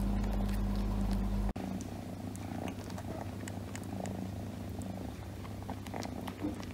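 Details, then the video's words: Domestic cat purring on its owner's lap, a steady low rumbling drone continuing evenly throughout, with a brief abrupt break early on and faint rustling in the background. "My cat is purring on my lap"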